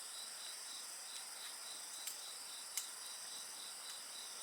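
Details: Insects singing at night beside a crackling bonfire: a steady high chirping band pulses rapidly, with continuous shrill trilling above it and occasional sharp pops of burning wood.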